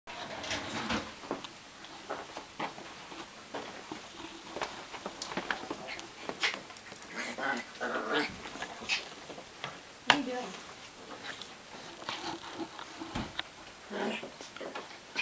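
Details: Two two-year-old Chihuahuas fighting indoors on a bed, rough scuffling with sharp clicks and thumps and short snarling bursts scattered throughout, while a woman comments nearby.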